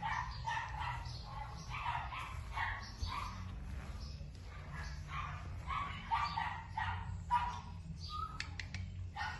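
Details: Barking from a female Keeshond puppy: rapid clusters of shrill yaps and yips, sometimes overlapping, repeated through the whole stretch, with a persistent low hum in the background.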